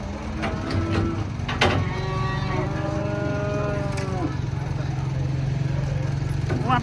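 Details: A long, drawn-out moo, rich in harmonics and sliding gently downward, comes from giant cattle coming off a truck. A steady engine drone, a few clatters and voices sit behind it.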